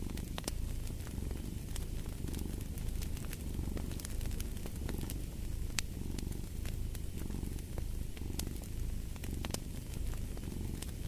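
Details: Deep, buzzing cat purr running without pause, its breath-by-breath rise and fall steady over the whole stretch, accompanied by frequent crisp crackles from a burning fire.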